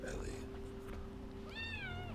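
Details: A cat during a first meeting between a Siamese cat and a Bengal kitten; after background murmuring, a single clear meow rises and then falls, about half a second long.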